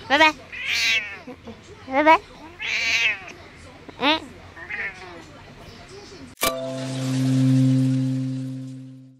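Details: Grumpy 14-year-old female pet cat, Taoyuan, Taiwan, February 19, protesting each kiss from her owner with short rising meows amid speech, followed by a sudden steady musical tone to the end.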